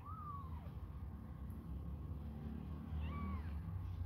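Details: Hungry kittens suckling a finger let out two thin, arching meows, one at the start and one near the end, with a low rumble throughout.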